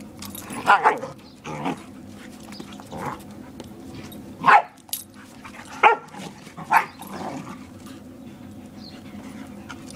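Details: A Borador barking while playing with a German Shepherd friend, barking to protect its owner from the shepherd; sharp barks come in irregular bursts, some doubled, over a steady low background hum.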